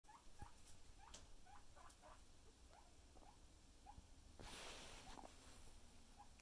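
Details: Pet guinea pig reacting to being booped on the nose; a quiet series of short, soft chirping squeaks scattered irregularly through the clip, with handling rustles and a brief burst of noise midway.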